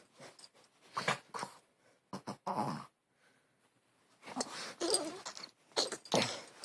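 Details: Dog making a weird, funny noise while playing indoors: breathy, snorting and wheezing bursts in short irregular clusters, with a quiet gap in the middle.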